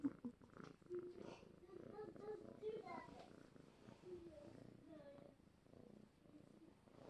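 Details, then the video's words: Happy male domestic cat, a spoiled former foster, purring while petted the way he likes; steady low rumbling purr with fine rapid pulsing throughout, partly overlaid by a person's soft murmuring voice and small handling noises. "1 happy kitty purring for over a minute"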